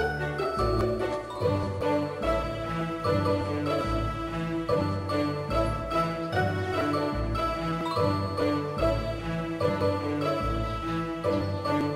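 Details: Cheerful tinkling background music with chimes and a steady beat plays throughout.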